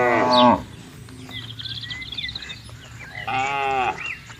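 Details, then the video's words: Cattle being herded into a farm pen in Indonesia: two loud, harmonic moos, one at the start and one near the end, with small birds chirping in between. "Moo Bunyi Suara Sapi Gembala"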